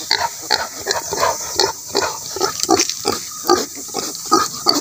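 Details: Native pigs kept for breeding give short, rough grunts in rapid, uneven succession, nearly three per second, over a steady high hiss.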